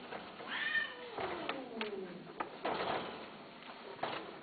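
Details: Domestic cat indoors giving a short harmonic meow that rises then falls, followed by a long drawn-out, gliding lower cry, with scattered clicks and handling noises around it.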